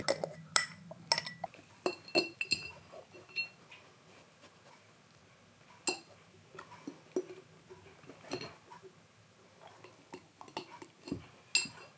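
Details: Irregular glassy clinks and knocks of a jar being pushed around indoors, separated by quiet gaps, with no clear animal voice.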